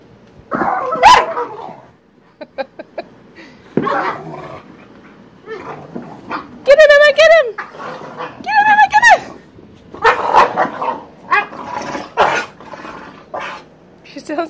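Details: Boxer dogs play fighting: rough growls, yips and barks, including a pair of high wavering whines around seven and nine seconds, with a person speaking briefly.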